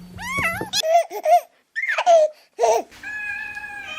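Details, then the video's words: Kittens and an adult cat mewing: a series of short tonal meows that rise and fall in pitch, separated by brief pauses, then a steady held tone at the end. "the sound of kittens🐈and cat😻"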